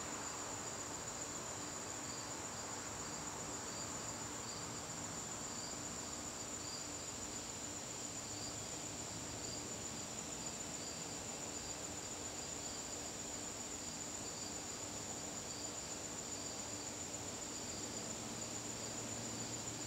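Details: Crickets calling in a garden on a September evening: a steady high trill near the top of the range joined by rows of pulsed chirps just below it, over a soft constant background hiss.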